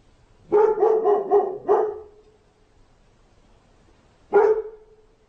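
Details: Domestic dog lets out a fast string of five harsh barks in about a second and a half, pauses, then adds one more loud bark.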